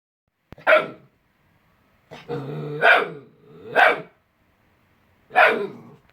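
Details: Jett, a Vizsla puppy in his first few weeks, gives four sharp, high barks spaced about a second apart, with a drawn-out wavering whine-growl between the second pair; otherwise quiet indoors.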